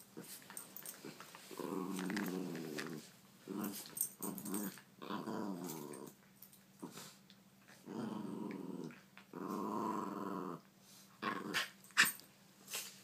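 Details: Puppies playing indoors, giving repeated rough, buzzy growls in bursts of one to two seconds with short gaps, mixed with small yips and scuffling sounds.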